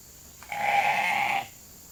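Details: Sheep from a hungry flock calling as they are brought into a holding pen for evening grain; one steady, nasal bleat lasting about a second, held at an even pitch.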